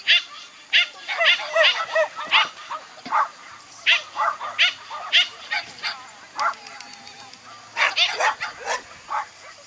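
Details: Toy Poodle at an agility run, possibly the dog named Ponde, giving a steady series of short, sharp yipping barks, roughly two or three per second across the whole stretch, with faint background murmur.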